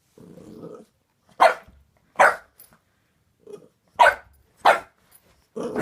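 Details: Boxer puppy named Layla, indoors, barking at a new squeaky toy she is suspicious of: short sharp barks spaced about a second apart, some with a low growl between them, and a brief human voice.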